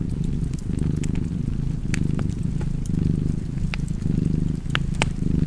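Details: Contented cat purr near a fireplace, a thick low drone pulsing with each inhale and exhale about once a second, overlaid by intermittent crackling and popping wood.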